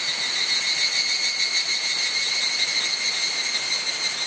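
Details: Chorus of evening cicadas on Mount Hokyo, Tsukuba, Japan, cloudy evening of 31 July 2011, recorded by camera mic; steady high ringing buzz with fast shimmering pulses and no pauses.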